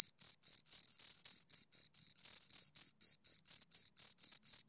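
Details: Two crickets chirping close to the recorder, a high, pure trilling chirp pulsed in rapid regular bursts about four per second, each a short ringing buzz with a fainter higher overtone; no other sounds, silent background.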